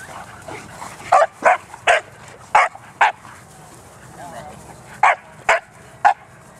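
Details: Bearne, an 11-month-old Bernese Mountain Dog, playing at a dog park: short, sharp barks come in irregular bursts, one or two at a time, with quieter gaps and low background murmur between them.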